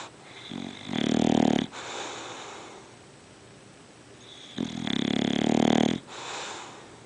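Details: Sergeant Carter, a dog, snores in his sleep, with two drawn-out rasping snores about three and a half seconds apart and soft breathing between them in a quiet room.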